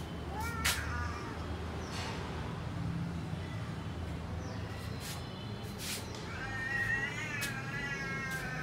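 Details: Cats in a garden, described as a lion cat, a tall cat and a short cat, give rising harmonic meows: a short one near the start, a few faint ones in the middle, then a long wavering meow over the last two seconds, with outdoor background noise.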